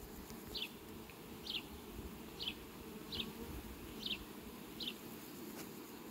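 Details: Low, continuous droning hum of bees in flight at sunflowers on a farm, recorded 18 July 2021, overlaid by a bird's brief high descending chirps at roughly one-second intervals.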